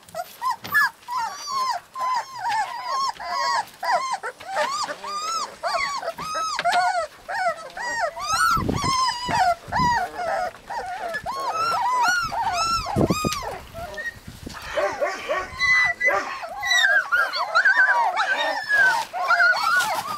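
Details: Husky puppies in Lapland whine and yelp almost without pause, a dense chorus of arched, rising-and-falling cries overlapping from several pups, with short breaks and a few louder squeals.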